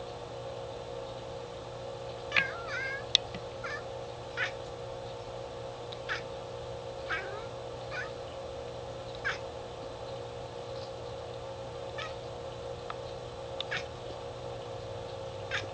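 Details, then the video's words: Indoor pet cat cackling while it watches birds through the window: repeated short chirping bursts and a few warbling squeaks at irregular intervals, with a constant background hum throughout. "cackling at the birds"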